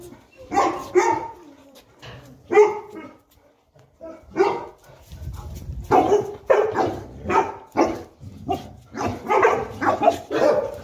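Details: Boerboel couple in Egypt, Enzo and Diva, romping together; irregular single barks and short yips, sparse at first, then thickening into a quick sequence of gruff barks toward the end.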